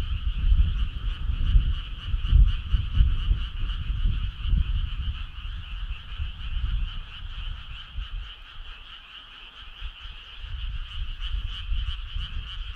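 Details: Summer night frog choir, a rapid pulsing trill of massed callers in two bands, loudest low rumbling early on, easing toward the end.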